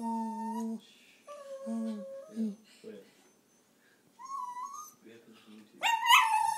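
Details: Taco, a pet dog, whines while being coaxed indoors. A person speaks first, asking what he wants and saying please. Then comes a rising whine and a louder, higher whine-yip at the end.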